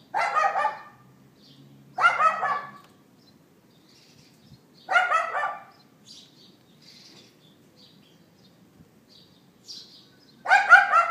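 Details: A neighbour's dog barking outdoors, recorded on an iPhone 4S on 18 April 2012 at 11:31 AM. Four harsh, loud yapping bursts come at uneven gaps of two to five seconds, with faint bird chirps in the quiet spaces between them.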